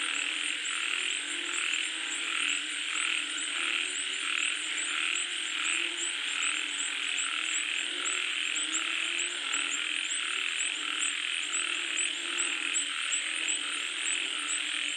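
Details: Frogs in rainfall, a crowded chorus with irregular croaks about one and a half per second over steady hissing, topped by a shrill, beaded trill that never stops.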